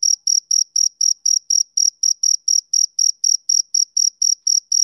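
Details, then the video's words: Rhythmic high chirping of a male cricket: crisp, evenly spaced pulses, some twenty in five seconds, against total quiet. "Cricket Chirping Sound Effect"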